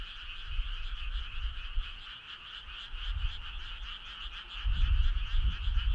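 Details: A summer-night choir of frogs trilling in rapid pulses, a constant layered drone, with bursts of low rumble swelling near the end.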